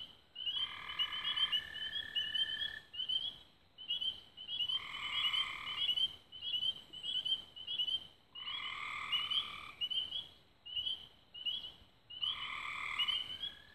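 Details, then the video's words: At dusk on 24 May 2016 near Raven Rocks, Belmont County, Ohio, frogs sing: bright, rapid chirping notes mix with four or five coarse, buzzing trilled bursts, each near a second long, recurring every few seconds. "Frogs At Dusk"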